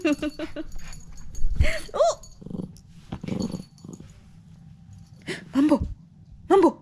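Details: Mambo, a pet dog, playing a game of picking out toys by name indoors: short repeated whines at the start, a low growl, then rising yelps and whimpers, with a woman speaking Korean between the sounds.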